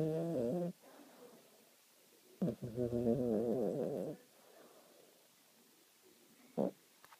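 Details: Sleeping cat snoring: a low, rasping harmonic snore at the start, then a longer buzzing, wavering snore from about 2.5 to 4 seconds, with quiet gaps and two faint clicks.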